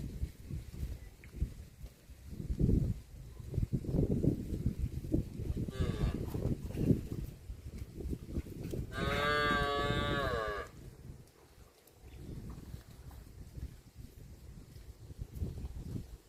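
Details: A tame cow walking through mud in a rice paddy gives a long, wavering moo over a steady backdrop of low rumbling and splashing.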